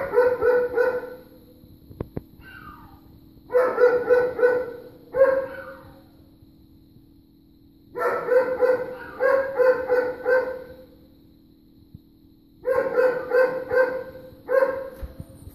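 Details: Persistent barking from neighbors' dogs, November 23rd, 3:45 pm: rapid volleys of three to five sharp barks, each volley followed by a quiet gap of a few seconds, a low steady hum throughout.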